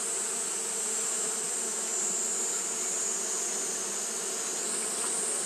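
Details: On a hot day, Japanese honey bees keep fanning, giving an even, unwavering drone with a rich harmonic hum and a faint steady shrill tone overhead.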